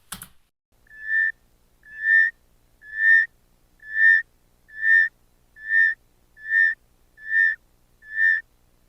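Northern forest rain frog giving eight short, clear, bird-like whistles, one almost every second, all on the same steady pitch; nothing else stands out.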